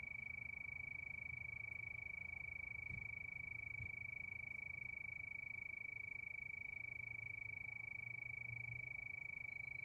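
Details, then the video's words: Steady high trilling of crickets at night, rapid even pulses without pause, while a low rumble swells briefly near the start and again toward the end. "Sound of Crickets"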